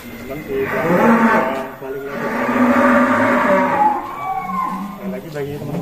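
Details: Two long, loud, rough moos follow one another from Si Plonco, a massive bull leaving its pen at Kelonthong Farm, each held for over a second, with a brief softer call at the end.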